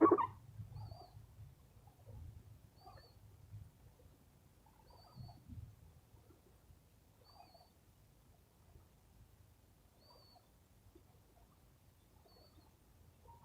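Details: Sleepy pet rescue squirrel making soft sounds while being petted indoors. Quiet low grunting chuffs come in short bursts about every two to three seconds, with a faint steady high tone in the background.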